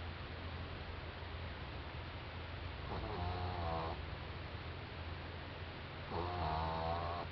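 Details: Doudou, a sleeping four-month-old French Bulldog, snoring: two rasping, harmonic snores around the third and sixth seconds, each lasting about a second, over a steady low hum.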